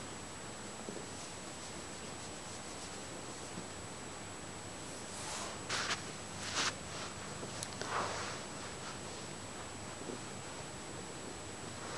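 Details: A quiet indoor room with a steady faint hiss, a few soft rustles and brief handling noises in the middle.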